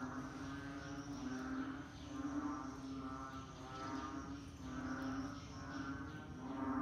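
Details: Many frogs calling in rainy-season conditions, a continuous buzzing drone with repeated swelling bursts of pulsed croaks.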